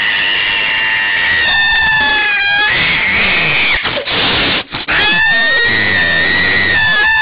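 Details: Very angry domestic cat giving long, loud, wavering yowls with strong harmonics, holding steady then briefly breaking off near the middle before resuming the drawn-out howl.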